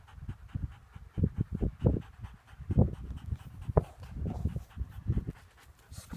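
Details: Lurchers working bolted rabbits; heavy, rasping panting comes in fast, uneven gusts of breath throughout, with a brief soft whimper-like note in the middle and no other clear sounds.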